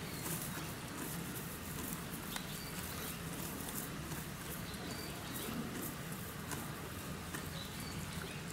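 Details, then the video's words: Captive donkey feeding at Kofu's Yuki Park Zoo, Japan: a dense, continuous crunching of close chewing runs throughout, with brief high bird chirps and a steady low rumble behind. "ロバさんの咀嚼音 Cute donkey chewing sound"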